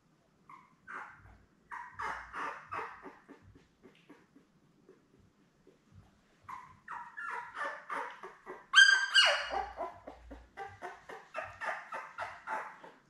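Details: Newborn Labrador Retriever puppies with their mother, a litter of seven born in late May, squeaking and whimpering indoors in short bursts of high, whiny cries, with one louder sharp yelp near the end.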